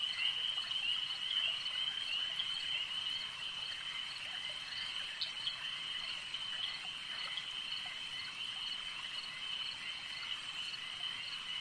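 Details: Lakeside frog chorus: many overlapping high-pitched croaks pulse quickly, about two or three per second, beneath a constant ringing trill, with one brief sharper note near the middle.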